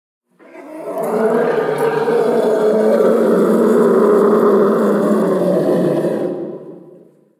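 An elephant gives one long, rough roar that swells, holds steady for several seconds, then fades.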